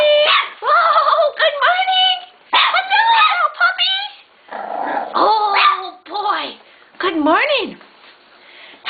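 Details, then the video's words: Bulldog puppies waking up in the morning, giving high, wavering whines and squeals with rising and falling harmonic tones in several bursts, while a person greets them with repeated good mornings. "bulldog pupps wakeup"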